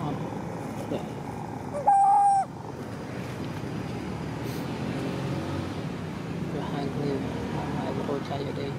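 A young monkey gives one short, clear, whistle-like cry, calling for its mother when sleepy.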